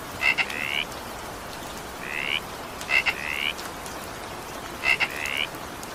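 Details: During evening rain a frog gives four upward-gliding croaks, three of them opened by a quick double click, separated by pauses of about a second, over even rain hiss.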